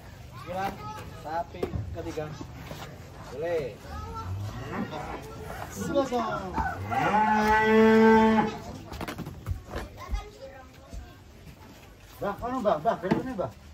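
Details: A giant bull or cow coming down off a truck during unloading lets out one long, steady, deep moo lasting about two seconds midway through. Men's voices call out before and after the moo.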